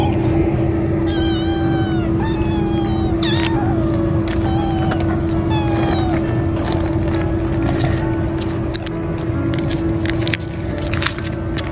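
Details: Several kittens with a tabby coat like an American Shorthair huddle against their mother for warmth and are fed, eating greedily; high harmonic meows come in short bursts over steady low hum, clicking and chewing noises.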